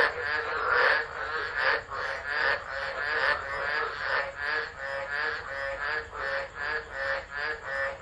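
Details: Frogs chorusing in a tropical low at Driver in Australia's Northern Territory, 13 December 2013, phone recording; harsh croaking notes in a steady pulsing series, overlapping voices, with a quavering tonal note early on.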